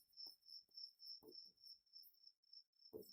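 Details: Cricket chirping indoors in a classroom during a lecture: steady high pulsed trills about every quarter second, continuous throughout, with a man's speech fragments over it.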